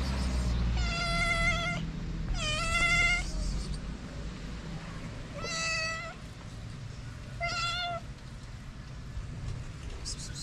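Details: Hungry feral cats, a calico and a ginger, meowing outdoors in the cold; four drawn-out, harmonic-rich meows, each about a second long, with steady low traffic rumble behind.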